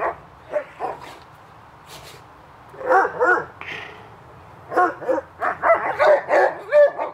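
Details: Hubert and Woody romp in the backyard on a summer afternoon, giving scattered single barks and then rapid runs of yipping, high-pitched barks, some overlapping, with faint talking between.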